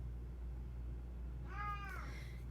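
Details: Female domestic cat complaining indoors throughout a talk, giving one short, tonal, slightly falling meow over a steady low electrical hum.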